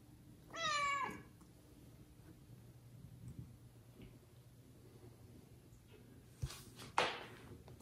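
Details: Loud meow from a domestic kitten calling its mother, which does not come to the litter of four; a single bright, harmonic, slightly falling cry early on, then quiet room noise and a couple of sharp knocks.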